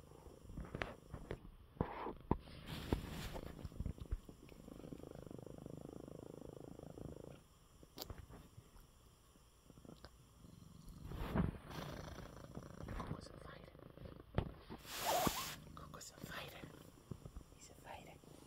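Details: Purring from an unwell male cat lying in his bed after eating well; a low, steady rumbling purr, softer in the middle, broken by a woman's affectionate spoken words and several sharp rustles and clicks close to the microphone.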